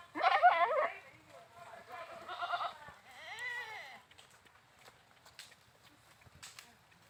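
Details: Goat giving a series of bleats: a loud wavering opening bleat, a softer nasal one, then a longer arching tremulous bleat, followed by quiet with faint clicks and knocks.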